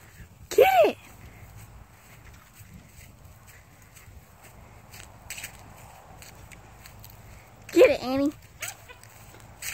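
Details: Dachshund hunting a squirrel, giving two separate high, arching yelps with strong harmonics several seconds apart, a quiet background between them.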